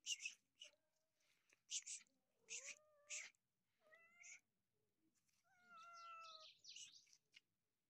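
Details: Injured stray cat without a tail and missing one eye, likely attacked by dogs, approached outdoors; several drawn-out meows with steady tones, some slightly rising, mixed with soft hissy human whispering and rustles between calls.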